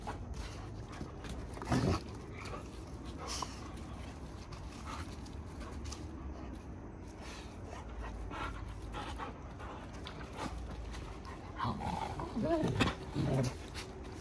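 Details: Wrestling and tussling Giant Schnauzers playing rough: panting and breathy grunts, a loud snort early, then a burst of growly vocal sounds toward the end over low rumbling noise.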